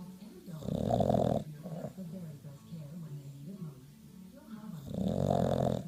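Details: A bulldog snoring in its sleep gives two long, harsh, throaty snores at the start and end, with softer wavering breaths and a faint voice-like murmur in between.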